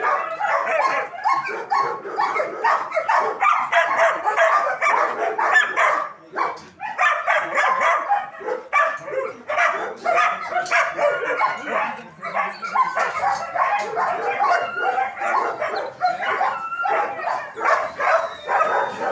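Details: Many German Shepherds barking together during training at a dog academy, a steady wall of harsh, overlapping barks with one brief lull, a few higher whines cutting through.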